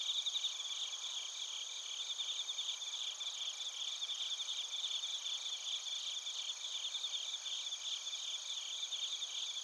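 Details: Narita, Chiba, Japan: bell crickets with other crickets, recorded on a TASCAM Portacapture X8, produce an unbroken high, glittering wall of fast pulsed chirps and ringing tones at an even level.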